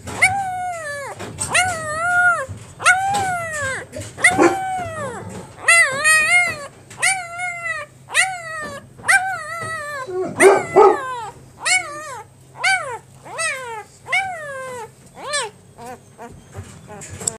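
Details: Male Great Pyrenees puppy, born 29 October, whimpering in a long run of about twenty short high yelps and whines, each arched and falling at the end, coming roughly once a second, with a low steady hum behind.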